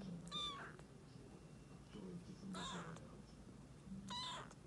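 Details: Rescued calico kitten Mikene, two to three weeks old, meeting resident black cat Nekota indoors a day after they hissed at each other; three short, high, thin mews spaced about two seconds apart over a low room hum.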